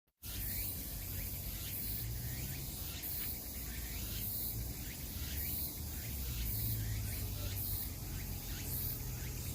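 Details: Cicadas calling in a forest: a dense, steady high-pitched buzzing hiss that swells in rhythmic pulses about every second, over a constant low rumble.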